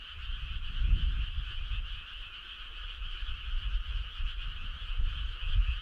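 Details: Many frogs calling at night in summer in the countryside, their trills merging into one continuous buzzing wall of sound, while deep, uneven rumbling pulses rise and fall beneath throughout.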